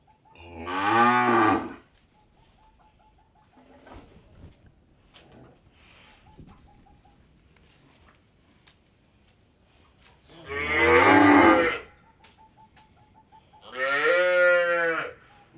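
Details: Cattle on an Indian dairy farm, three loud drawn-out moos with rich harmonics, each about one and a half seconds, separated by long pauses; faint thin tonal sounds and light clatter in between.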